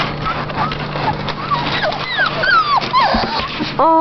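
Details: Golden Retriever puppies from a litter of seven, held in a box while their bed is cleaned, give high, thin whimpers and squeaks, many sliding downward, over a person's voice.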